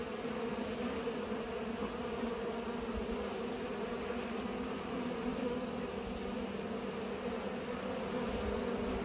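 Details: Bees pollinating make an unbroken, steady buzzing hum, a low droning tone that stays constant with small swells in volume.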